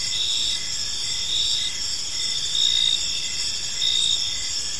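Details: Park crickets at evening give a constant shrill trill, with short chirping pulses rising in loudness at intervals of about a second.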